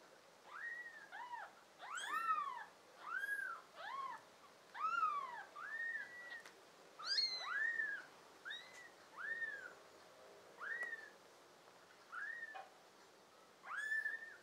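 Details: Five American Shorthair and tabby kittens with blue eyes, filmed in June 2022, give high arched mews one after another, roughly every second, some overlapping with harmonic tones; otherwise quiet.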